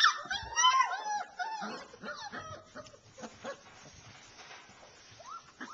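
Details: Alaskan Malamute puppies, young enough to be sold soon, giving high whining whimpers and short yips that bend up and down, several overlapping at first, then fading into scattered quiet squeaks.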